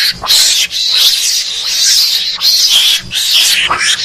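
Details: A mongoose lure call, used to attract mongooses when hunting, gives loud, shrill squealing chatters in quick bursts, repeated more than once a second.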